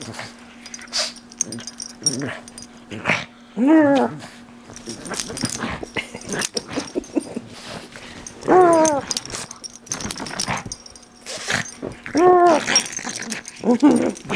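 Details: Pet pug wrestling his stuffed toy indoors, making low rumbling growls broken by three clear arched whimpers spaced a few seconds apart, with chewing and scuffling noises, occasional human voice and a constant low hum.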